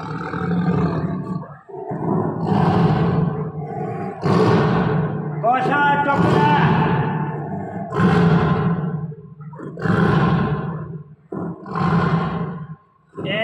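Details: A tame Bengal tiger named Tony, described as angry while being fed meat, gives deep, rumbling roars in heavy bursts, repeated every two seconds or so.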